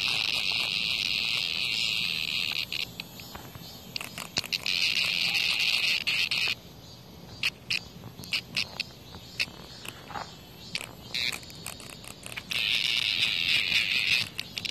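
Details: Cicada under a hornet's attack outside a house produces a broken, high-pitched buzz that starts and stops irregularly, with long patches of clicking and scraping between the louder bursts.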